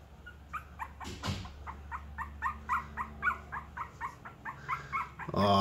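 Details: A puppy meeting a cat for the first time whimpers in a steady run of short, high, whiny yelps, roughly three per second, ending with a burst of louder sound.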